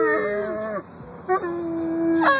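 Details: Howling from a pet dog named Bruce: a steady held tone that drops away, a short pause, then a renewed, level, sustained howl ending in a brief upward flick, with indoor room echo.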